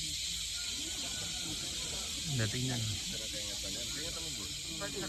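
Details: Cicadas singing in a family graveyard in Patikul, Sulu make a steady, high-pitched drone that hisses without pause, with a person talking briefly over it.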